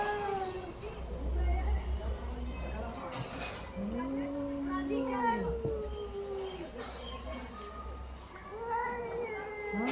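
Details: Orange and white domestic cat giving a few drawn-out arched meows and yowls with steady low hum and some background noise.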